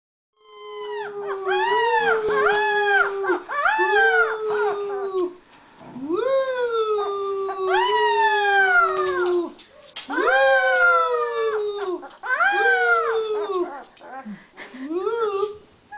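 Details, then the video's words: A 3-week-old Beagle puppy howling: a series of drawn-out, wavering tonal howls, each rising then falling and lasting one to two seconds, repeated in bursts with short pauses between. "3 Weeks Old Beagle Puppy Sings"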